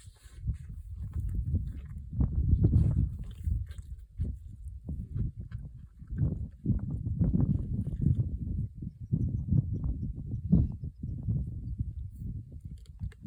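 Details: A lion devouring an entire zebra in Africa growls in deep, rumbling bursts, with wet tearing and crunching sounds from the zebra carcass.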